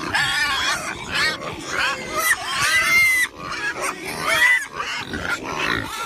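Pigs squeal and grunt in a steady, overlapping chorus of harsh, high, quavering cries.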